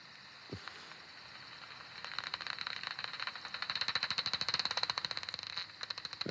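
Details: Common pipistrelle hunting buzz as the bat closes in on an insect: sparse clicks quicken into a dense, rapid buzzing train, then break off briefly. The pause is when it swallows, before calling resumes.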